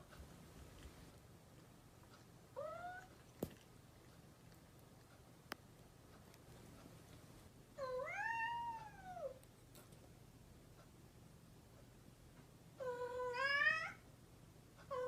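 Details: Three separate meows from a mischievous house cat spread across the stretch: a short one, a longer arching call, then a higher, wavering one, with two sharp clicks between and a soft hum beneath.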